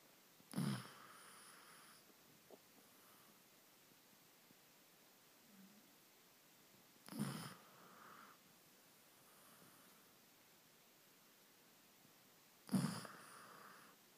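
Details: Amber the Downhill Dog snoring on the sofa in the evening after a busy day of biking, captured on an iPhone: three short snorting breaths about six seconds apart, each a brief broad rasp over quiet background hiss.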